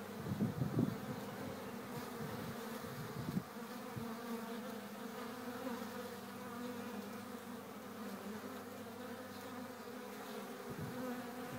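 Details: Honey bee colony humming at the hive, April 11, 2013: low steady drone of many bees, with a few louder close buzzes and knocks near the start and again near the end.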